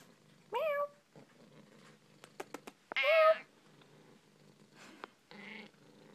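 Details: Indoor pet cat talking with its owner: a rising meow, a few sharp clicks, then a long loud wavering meow, followed by a softer nasal sound near the end.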